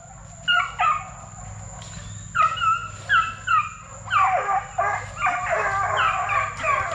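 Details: Plott Tan puppies, a Plott hound crossed with a black and tan coonhound, aged 8 weeks to 5 months and bred from deer-tracking parents. Scattered yelps build into overlapping barks and whines from several pups, with a steady faint high whine behind.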